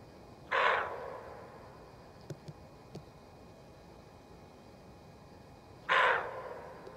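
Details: A female roe deer, badly alarmed in a forest, barks to warn of danger: two harsh, hoarse single barks about five seconds apart, with a few faint clicks between and quiet background hiss.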